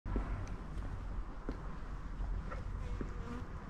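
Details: Pink-nosed kitten purring loudly close to the camera, its brother nearby; a steady low rumbling drone fills the whole stretch with a few faint clicks and rustles on top.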